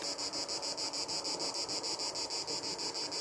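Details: Cicadas singing in summer countryside along the GR65 pilgrim way near Figeac and the Célé valley, France: a dense, pulsing high buzz beating about three times per second, steady throughout, with a tractor rumbling faintly in the distance.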